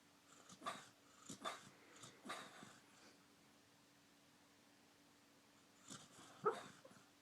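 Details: A pet dog asleep and dreaming makes soft, breathy snuffling puffs, three in quick succession, then a pause and a final pair with a tiny squeaky whimper, in a quiet indoor room with a faint steady hum.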